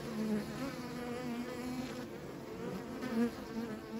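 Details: Short stretch of a bee swarm's continuous buzzing hum, even and low, with a brief louder swell just after three seconds and a faint high whine behind.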